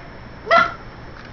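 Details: Ella, a Cavalier King Charles Spaniel, trying to catch a live blue crab, lets out a single short, sharp bark with a rising then falling tone, followed by quiet and a person talking to her.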